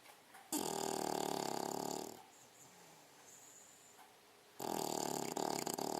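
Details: English Bulldog, a six-month-old female, snoring while asleep indoors: two long raspy, rattling breaths about 1.5 seconds each, separated by a quiet pause, with fine rapid flutter through each breath.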